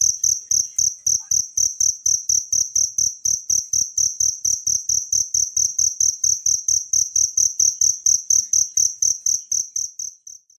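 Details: Cricket from nature, recorded as a tutor sound for training songbirds, sings a bright, high metallic trill of evenly spaced pulses, roughly four each second, continuing steadily before stopping abruptly near the end; background otherwise silent.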